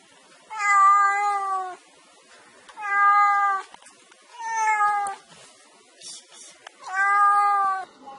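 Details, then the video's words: Mischievous black kitten giving four drawn-out, even meows, each over a second long and separated by short pauses, with faint clicks between calls. "Tiếng Mèo Kêu Meo Meo"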